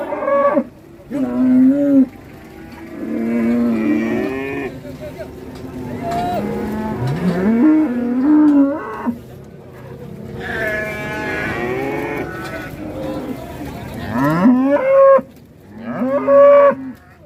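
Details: Cattle rampaging while ploughing: a run of overlapping drawn-out harmonic moos, some rising and some bending downward, with loud bursts near the start and end between quieter stretches.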